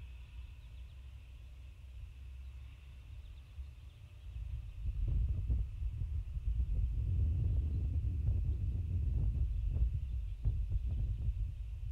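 Low wind rumble with scattered knocks and rustles growing louder after a few seconds, over a faint steady high hiss; no clear animal calls.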